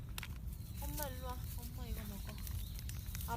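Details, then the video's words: Female stray kitten making a strange sound while eating chicken breast, given after a long time apart. Short murmured, wavering mews in two bursts, tonal and slightly rising then falling, over steady low rumbling background noise. "감탄하면서 닭가슴살을 먹는 아기 고양이(Baby cat makes strange sound)"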